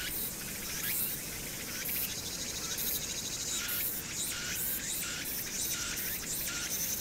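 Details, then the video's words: Hwangnyeongsan summer cicadas, recorded 1 August 2019 with city sounds behind. Shrill, hissing buzzing swells and pulses in uneven bursts, with upward-sliding notes repeating every second or so above a continuous low urban drone. "황령산(Hwangnyeongsan)의 여름 매미소리"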